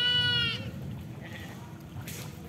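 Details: Short, loud, nasal bleat from a goat that walked into mud looking for fish, harsh and strongly tonal, slightly rising at the end, then a quieter murmur of voices and background noise.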